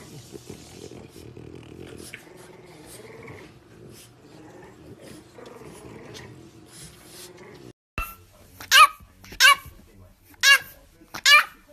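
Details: French Bulldog puppy, one of a funny compilation, giving four short, sharp barks in the last four seconds after a quieter stretch of soft whining and indoor room noise.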